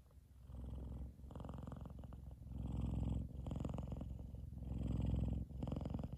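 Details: Loud purring from F2 Savannah cat Kumba, content and asleep while cuddling with his brother Taj on top of his head; a deep vibrating rumble in regular bouts about one second each, separated by short breath pauses.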